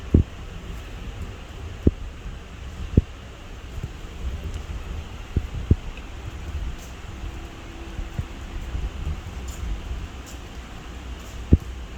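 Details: Low rumbling wind and mechanical hum with occasional clicks and knocks, and no animal voice. A faint steady tone drifts through the background.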